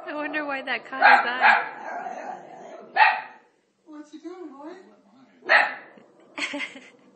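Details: Italian Greyhound, a male dog, barking at Moses on TV; a few loud barks, some in pairs, mixed with a man speaking and soft whining sounds.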